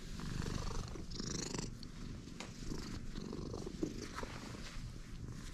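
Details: Purring stray cat, content from the moment of meeting: a continuous deep rumble of rapid low pulses that holds steady throughout. Faint high thin tones drift in the background.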